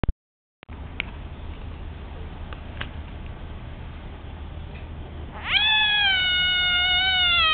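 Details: Captive bullfrog in its tank screaming because it feels threatened during tank cleaning; steady background hiss for about five seconds, then a sudden loud, sustained, harmonic scream starting at about 5.5 seconds and holding level to the end.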